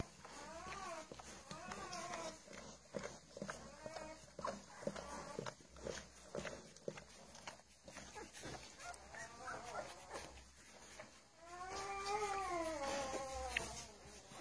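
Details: Fifteen-day-old puppies from the litters of Charlotte and Mayley giving high, arched whines and squeals in quick overlapping bursts, some rising then falling, with a louder cluster of cries near the end over soft rustling and bumping.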